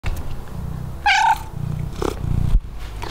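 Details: A male British Shorthair kitten, gold-coated, gives a short, bright meow over a low rumbling background; a grey British Shorthair male is also present. Filmed 3 June 2023.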